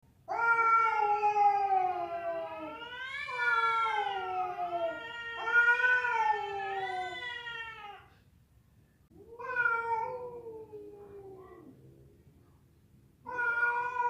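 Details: Cats fighting, with a female calling to a male: long wavering yowls with rich harmonic stacks, rising and falling, in drawn-out bouts of several seconds separated by brief pauses.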